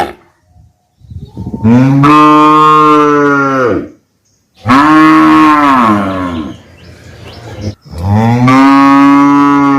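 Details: Three loud, drawn-out calf moos, each about two seconds long, with short pauses between; the calls are harmonic and slightly falling at the close.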